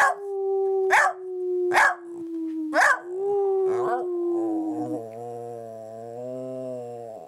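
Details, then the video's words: Maggie, a cake-loving dog, talks to her owner: a long, level howl punctuated by four quick yelps, sliding lower, followed by a deeper, steadier droning voice over the final seconds. "A conversation with the Dog"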